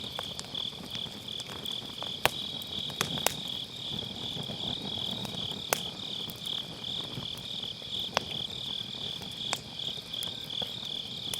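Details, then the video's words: Autumn-night grass insects keep up a continuous high-pitched trilling drone next to a campfire in a round brazier, captured on an MKE600 mic with low cut; scattered loud snaps of firewood punctuate the chorus. "가을밤 풀벌레 소리"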